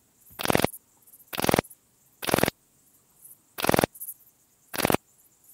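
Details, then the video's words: Song of a Graceful bush-cricket, Pachytrachis gracilis, recorded at Vela Ucka in Croatia on 30 July 2023: five short, harsh, scratchy bursts spaced about a second apart over near silence. "Pachytrachis gracilis -- Zierliche Südschrecke -- Graceful Bush-cricket"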